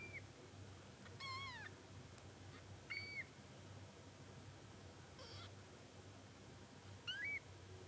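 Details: A male Munchkin kitten on its first day of life, born 24 October 2020, gives thin, high meows that rise and then fall, a few seconds apart.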